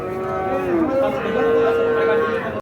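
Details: Cattle at the Ambari haat in Parbatipur, Dinajpur, Bangladesh, 29 December 2023, a market day for fattening calves. A single long, steady moo holds an even pitch for over a second, with faint market murmur behind.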